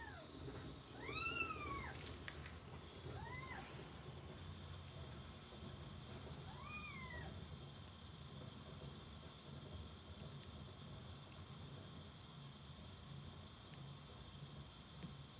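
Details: Domestic kittens mewing: several thin, high, arched mews in the first seven seconds, each rising then falling, over a steady background hum and a constant high tone, then only the hum remains.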